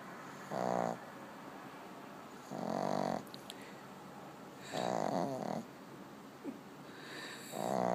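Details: Dog asleep and snoring; long, raspy, rumbling snores roughly every two seconds, each lasting under a second, over a quiet indoor background.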